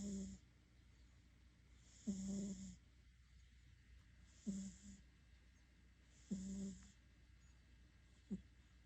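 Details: Sleeping house cat snoring loudly: low, buzzing snores repeat about every two seconds, each paired with a soft airy hiss of breath, in a quiet room.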